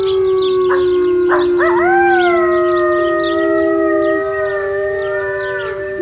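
Several wolves howl together, long smooth tones sliding up and gently falling, one voice held steady beneath.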